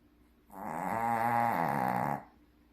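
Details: Shih Tzu dog asleep and snoring heavily, one drawn-out, gravelly, droning inhalation of under two seconds, steady in pitch, against a quiet background.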